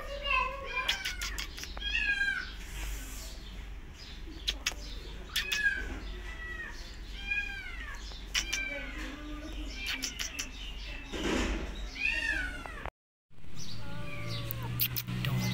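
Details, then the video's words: Two abandoned feral kittens being caught late at night during a rescue at a house; a rapid series of high, arching meows, some overlapping, with a brief burst of broadband hiss-like noise and a person speaking quietly. "Kittens Hissing & Spiting"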